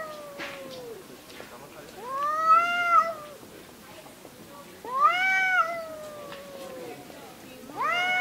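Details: Cats in a fight give rising-then-falling wailing yowls, three main drawn-out screams spaced a few seconds apart, with quiet growling between them.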